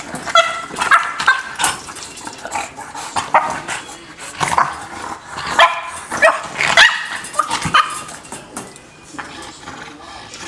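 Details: Dog named Lola, heartbroken by barriers separating her from another, produces pitched whining cries mixed with quick barks, irregular bursts throughout with brief quiet gaps.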